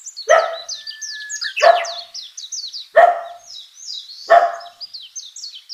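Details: A puppy playing on green grass outdoors barks four times, each bark sharp and short, spaced roughly every one and a half seconds, with steady high bird twittering behind.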